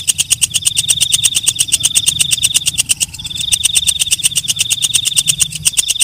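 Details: Katydid (walang kecek, night grasshopper) calling at night: a fast train of sharp, dry ticks, about eight per second, over a steady high shrill whine that breaks off briefly near the middle.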